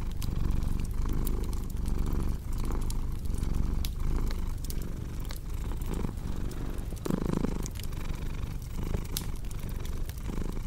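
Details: Continuous deep purr from a cat, pulsing with slow in-and-out breathing cycles, while a crackling fire snaps and pops in the background throughout.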